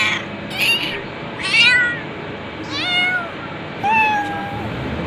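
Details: A cat gives five meows in quick succession, short nasal mews that bend down in pitch, the last one longer and more plaintive, against a constant background hum.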